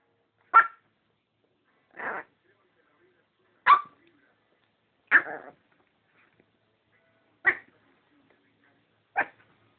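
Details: Female Chihuahua barking excitedly in a frenzy: six sharp, high yapping barks at uneven gaps of about one and a half seconds, each brief and clipped, in an otherwise quiet room.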